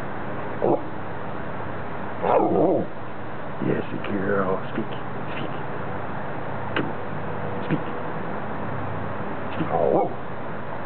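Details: A Rottweiler puppy gives short, gruff barks in scattered, irregularly spaced bursts, some doubled, with longer pauses and a person talking quietly in between.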